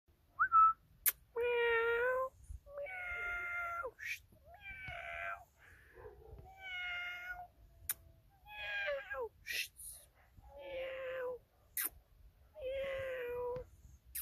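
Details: A three-month-old Deutscher Jagdterrier puppy gives a series of high, drawn-out whining yelps, each about a second long with a tonal, slightly wavering pitch, repeated roughly every one to two seconds, with short sharp clicks between them.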